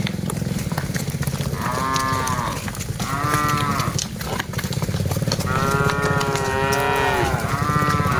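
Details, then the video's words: Several cattle moo while dozens are herded together, their calls arched and overlapping, some short and some long, against a busy low rumble with scattered clicks and knocks. "Aktivitas Mengiring Puluhan Sapi Lembu Lucu Suara Moo - Suara Sapi Moo Yang Lucu"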